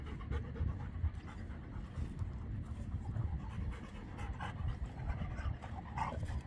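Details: Beertje, an older Labrador Retriever, breathing hard during rough play: steady, rapid low panting, breathy and noisy, with light rustles and a few short higher scuffs throughout.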